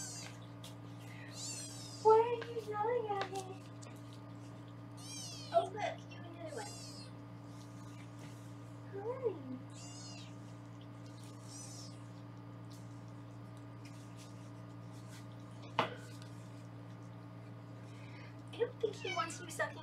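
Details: Several foster kittens in Los Angeles, caught on a live kitten cam during weighing, utter shrill arching mews in short bursts between stretches of human talk, with a low steady hum beneath.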